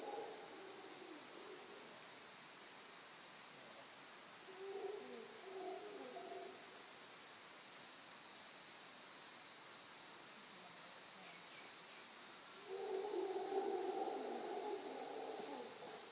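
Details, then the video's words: Distant howler monkeys in Costa Rica give low, rolling roars in bursts over a steady hiss of insects. "Howler Monkeys howling in Costa Rica"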